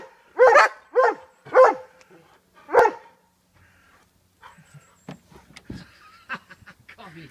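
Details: Giant Schnauzers being told to jump into a car boot; four loud, deep barks come in quick succession, then a pause, followed by scuffling, clicks and a person speaking commands.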